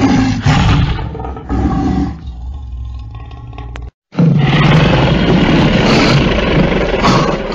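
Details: Lion (Panthera leo), roar.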